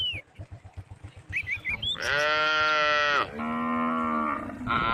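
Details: Tame cows calling on a road: after a few bird chirps, two moos follow back to back, a loud harmonic call then a lower, steadier one, with another call starting at the end.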